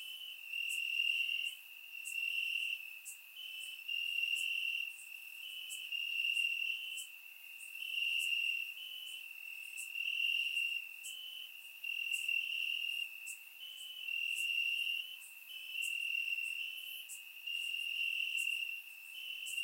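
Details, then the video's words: Crickets chirping in grass on a warm summer night in Bulgaria, surround microphone recording; a steady high trilling band pulses in swells every second or two, with faint sharper clicks above it. "Cricket Sounds - Crickets Chirping at Night"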